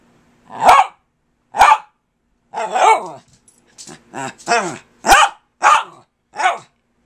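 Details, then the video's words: Kirby the dog refusing to give up while addressing his owner, sharp single barks mixed with wavering groaning yowls and short grumbles, about ten sounds spaced irregularly over several seconds. "Kirby the Wonder Dog Talks to Me"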